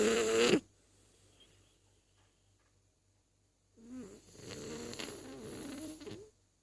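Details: French Bulldog Zazie snoring: a short loud rasping burst, a few seconds of near silence, then a longer rough, buzzing snore with wavering low tones lasting about two seconds.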